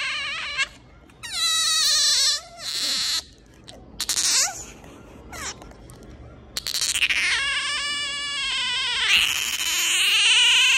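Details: A pet otter gives an affection-seeking whine in high, squeaky, wavering cries, a string of drawn-out rising and falling whimpers broken by short pauses.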